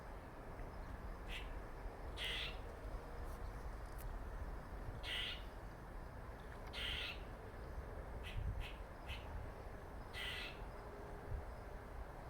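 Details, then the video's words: Funny noises from a squirrel, a male marked by a dark patch on its face: scattered raspy bursts, a few long and several clipped ticks, spaced irregularly over twelve seconds against a constant low hum. "Squirrel makes funny noises"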